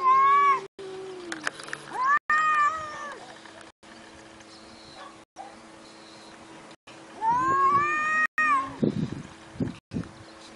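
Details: Domestic cats in a compilation of short scenes. Drawn-out harmonic meows rise and then fall, three separate cries spread over the stretch. Abrupt cuts with moments of silence separate them, over a steady low hum and some handling noise near the end.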